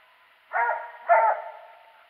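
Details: Hunting dog after squirrels, January 21, 2018: a pair of quick, hoarse barks half a second apart, the second slightly louder, fading into a brief trailing whine in an otherwise quiet setting.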